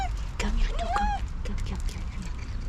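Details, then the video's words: Street cat, overly excited while being petted and thought to be hungry, gives a short whining meow that rises and then holds steady for about half a second, while a woman speaks softly close by. "Overly excited cat making cute sounds while being petted"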